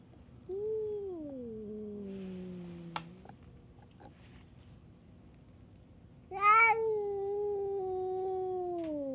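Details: Stray cats fighting at a tavern on a cat island: a long, drawn-out yowl that slides downward, a pause, then a louder, harsher wail that holds steady before dropping away, with faint background hum.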